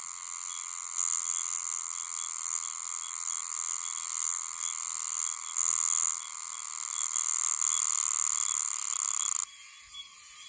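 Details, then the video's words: Meimuna oshimensis cicada in Okinawa, Japan, singing late in summer as numbers increase, after chorus of other cicadas fades: a continuous loud, high, shimmering buzz with steady pulsing, cutting off abruptly near the end. "オオシマゼミ Meimuna oshimensis 沖縄の昆虫 セミの鳴き声"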